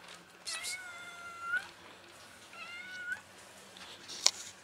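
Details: A white cat, angry when touched, gives two drawn-out, strained meows, each bending slightly upward and ending in a sharper rise, with a quiet indoor background and a click near the end.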